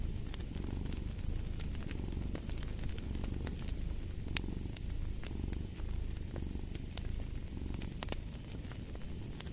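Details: Low continuous cat purring forms a soft rumbling bed with gentle breath-paced swells, overlaid by frequent snapping crackles from a fire burning nearby.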